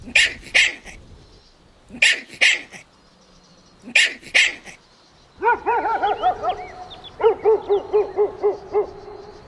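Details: Playful Golden Retriever puppies outdoors in a meadow: three paired sharp barks about two seconds apart, then a fast run of high, bouncy, arched whining yips repeated several times per second.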